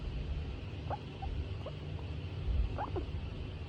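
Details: Female skinny pig, a hairless guinea pig kept as a pet, in a good mood while being stroked; a few short, soft squeaks, some sliding downward, come in two small bursts over a low, steady rumbling background.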